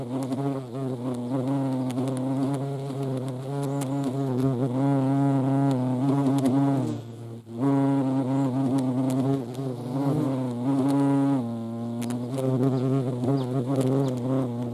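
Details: Deep droning wingbeat hum of European hornet at a feeding site in the Eifel, overtones sliding as the insects manoeuvre, a short near-silent gap midway before the buzzing resumes steadily.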